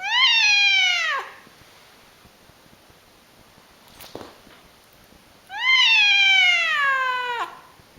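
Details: Pet cat screaming indoors: two loud, drawn-out cries, each over a second long and sliding slightly downward, separated by about four seconds of quiet with one soft thump between them.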